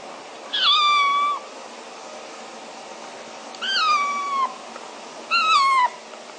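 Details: Young kitten kept as a pet, meowing three times with high, drawn-out harmonic cries around a second long, each falling slightly at the end, separated by quiet pauses over a low steady background hiss.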